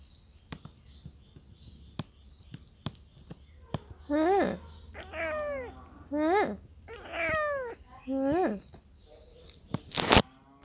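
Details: Cat meowing indoors in a small room: five clear, tonal meows that rise then fall, each about half a second long, spaced roughly every second. Soft clicks come before them, and a sharp loud burst sounds at the end.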